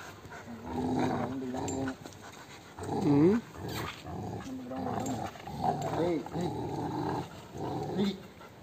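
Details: A Rottweiler growls in deep, rough, uneven bursts during a rope tug-of-war game, some rising into whiny, strained tones, with a person speaking between growls.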